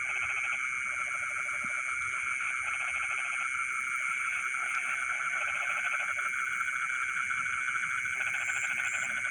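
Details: Frogs singing in rice fields deep in the night: rapid pulsed call trains come in bursts of a second or two, stopping and restarting, over a constant buzzing chorus.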